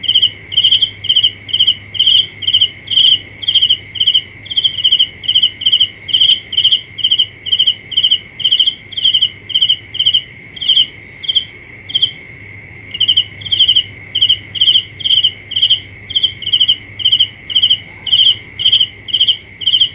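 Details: Continuous cricket chirps, short pulsed trills repeated about twice each second, nearly forty over twenty seconds with a brief pause midway, backed by an unbroken high whine and faint higher insect buzz.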